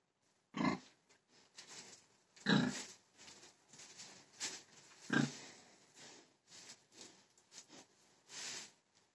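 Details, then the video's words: Deep, rough pig grunts come singly every two seconds or so, interspersed with softer snorts and a final rasping exhalation. "PIG HOG"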